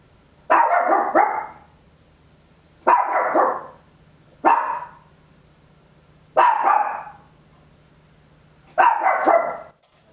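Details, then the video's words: Tiny Papillon dog at home barking loudly, captured on an Olympus LS-11 stereo recorder: five sharp barks spaced roughly two seconds apart, some with a doubled onset, against a quiet low electrical hum. "Tiny Dog Barking Very Loud, Papillon"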